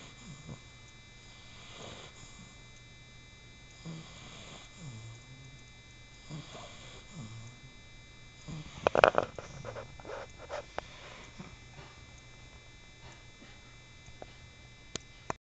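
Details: A 4-month-old male English Bulldog puppy snores softly while sleeping, with raspy breaths repeating about every two seconds.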